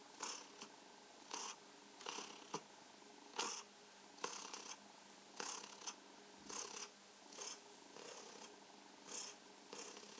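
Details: Domestic cat Mausi purring while enjoying being stroked and massaged indoors; soft breathy pulses swell in rhythmic bursts roughly once a second, with a faint steady hum between them.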